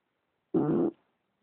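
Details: English Bulldog Leeloo asleep and snoring: a single harsh, buzzing snort lasting about a third of a second in an otherwise silent room.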